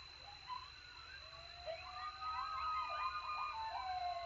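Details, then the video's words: Texas coyotes calling while they eat after a successful hunt: a busy chorus of rapid yips and warbling, pitch-bending howls that grows louder through the short stretch, with a constant thin high whine behind it. "Coyote Howl Alert after a successful hunt!"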